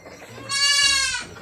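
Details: Anglo-Nubian goat at a goat farm at milking time, giving one loud, nasal, strongly harmonic bleat lasting under a second, steady in pitch and fading at the end, over quiet background.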